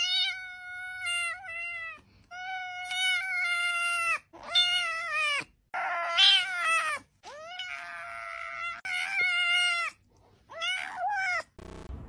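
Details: Cute cat meowing repeatedly: about seven clear, high, drawn-out meows, some rising then falling at the end, separated by short silent gaps, in a quiet setting.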